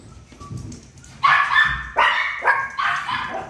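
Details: Miniature pinscher barking: four loud, harmonic barks spaced roughly half a second apart after a quiet start with faint background noise.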